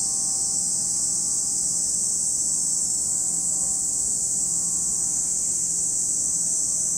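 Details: Cicada voices fill the air at Lake Kamo, Sado City, Niigata Prefecture, Japan: one seamless, piercing high buzz of even loudness, over quiet faint humming tones lower down.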